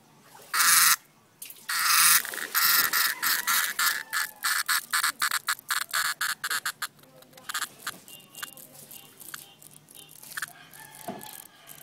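A cicada gives loud, harsh buzzing bursts broken into rapid pulses.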